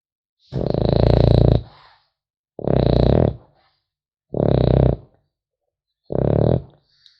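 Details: Puppy French Bulldog sleeping, four rough rumbling snores in steady succession about every one and a half to two seconds, low and vibrating, in a hushed indoor room.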